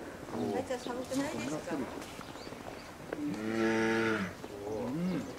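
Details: Two-year-old female polar bear at Maruyama Zoo, Sapporo, Hokkaido, 19 January 2017, demanding milk from her mother: one long, low, droning moan preceded and followed by wavering people's voices.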